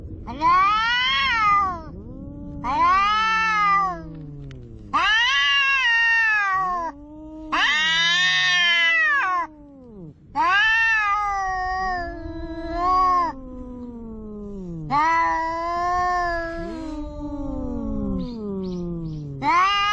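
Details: Two cats, one orange, squabbling at the seaside over twenty seconds: repeated arching yowls about every two to three seconds answered by lower swooping moans and growls, the exchange steady and insistent.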